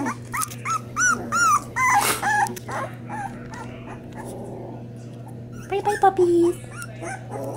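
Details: Springer Spaniel puppies of a first litter, eating and crying: a run of high, slurred whimpering squeals in quick succession, then quieter squeaks, over a constant low hum, with a woman's voice.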